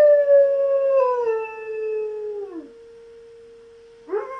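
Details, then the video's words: German Shepherd Knuckles answers the monthly siren test with a long howl that starts high, wavers, then slides downward and fades after about two and a half seconds, leaving the siren's steady drone and a brief yelp-like rise at the end. "Siren Howl"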